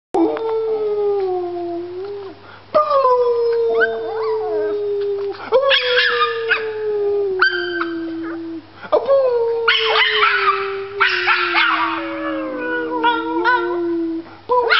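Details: Puppies howling in a series of long, slightly falling tones, each held for several seconds and broken by short yips and whimpers, with brief overlapping higher cries.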